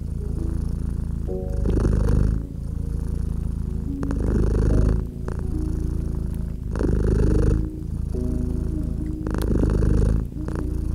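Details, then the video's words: Cat nestled by a crackling fireplace, purring continuously in low, vibrating pulses; louder rumbling phases return roughly every two and a half seconds, alternating with softer ones, while faint held tones and occasional sharp crackles of burning wood sit underneath. "Purring Cat and Crackling Fireplace"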